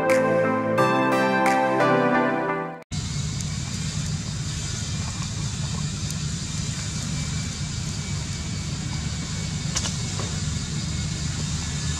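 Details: Music plays for about three seconds, then it cuts to steady, rumbling road traffic noise with no animal voice.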